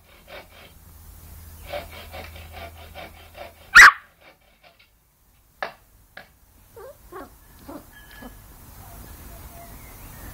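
A Yorkshire Terrier gives one sharp, explosive sneeze amid soft sniffing and snuffling sounds.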